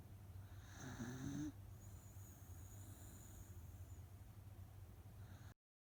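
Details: Soundly sleeping rescue Miniature Dachshund Otofu lets out one short, grating snore around the one-second mark, followed by softer breathing and a faint low hum before the recording cuts to silence.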